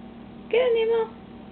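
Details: A pet cat named Nemo, jumping while trying to catch a moth, gives one short meow lasting about half a second, a steady mid-pitched tone with a slight rise at the start, over a low constant hum.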